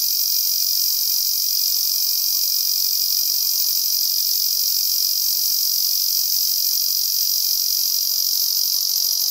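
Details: Continuous high, hissing buzz of a male Ezo cicada under overcast skies in a rainy season, unbroken and evenly pulsed from start to finish.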